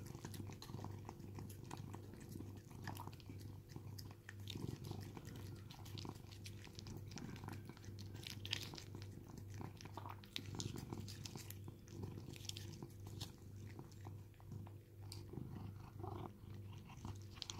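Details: Rescued domestic cat in a permanent home in Cooktown, Queensland, Australia, eating paste food indoors: soft, quick wet clicks and smacking chews repeated steadily throughout, with a low electrical hum underneath in a small room.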